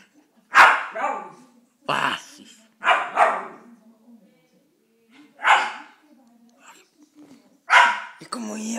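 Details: A West Highland White Terrier wanting a treat gives sharp, high barks, one or two at a time, while a person talks nearby.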